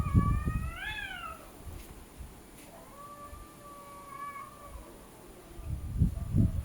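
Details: Cats arguing with each other: one short rising-falling meow followed by a long, level, drawn-out moan, with soft thumps at the start and end.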